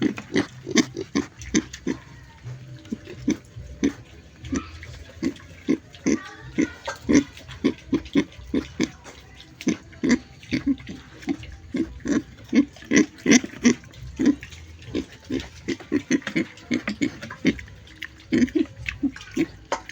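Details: Pig giving a continuous run of short, snuffling grunts, closely spaced and uneven in loudness, with no break across the whole stretch.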